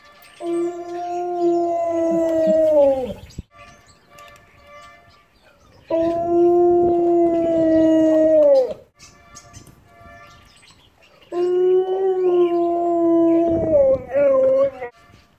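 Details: Siberian Husky howling at a street corn vendor who honks his horn; three long tonal howls, each about three seconds and dropping at the end, separated by quieter gaps with faint background sounds.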